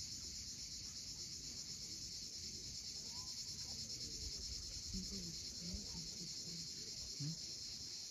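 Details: Sunset cicadas on the steep Crimean shore at Cape Fiolent: an even, high, sizzling drone runs without pause, joined by a few faint bird calls and the low murmur of waves.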